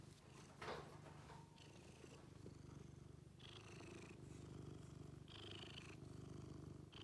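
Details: Bailey, blue point cat of seven years, purring contentedly in a deep pulsing drone, loud and close, with intermittent swishing sounds of stroking or movement over the top.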